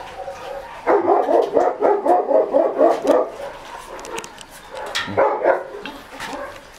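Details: Shih Tzu puppies being fed raw food: a quick run of high yapping yips, about four each second for two seconds, then a shorter burst near the end, with faint clicks and knocks in between.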